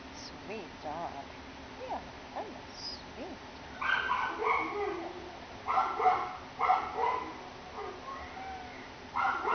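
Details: Reese, a young female Greater Swiss Mountain Dog about one year old, thought to be part English Bull Terrier and hard of hearing, awaiting adoption; a cluster of short, sharp barks follows soft whimpers, with human speech in the background.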